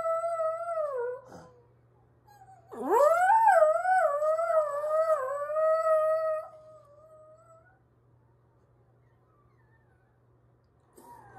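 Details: A household dog gives a short falling howl, then after a pause a loud upward-swooping howl that wavers for several seconds before trailing off into silence; low electrical hum in the background.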